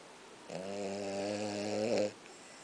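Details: A tired French Bulldog lets out a single drawn-out snore, a low rattling, buzzing drone that holds steady for over a second, swelling slightly before cutting off into a quiet room.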